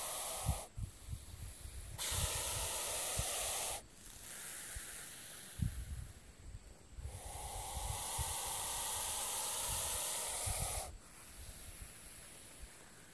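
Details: Hognose snake, harmless but mimicking a cobra, keeps up its defensive hissing; long broad airy exhalations of two to four seconds alternate with short gaps, over low handling thumps and rustles.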